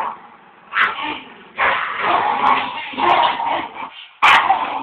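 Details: Tug-of-war contest between Border Terriers, with the loser barking too much; gruff, hoarse growl-barks swell and fade over several seconds, ending in an abrupt sharp bark.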